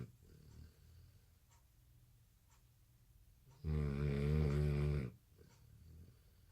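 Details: American Bully puppy asleep indoors at night, exhausted after skipping a nap after dinner, gives one loud rasping snore lasting over a second between quiet breaths.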